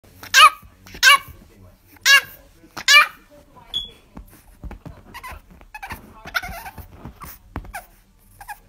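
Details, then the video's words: A dog giving four sharp, high-pitched barks in the first three seconds, spaced under a second apart, followed by quieter indoor speech and laughter. "Cutest Dog Bark"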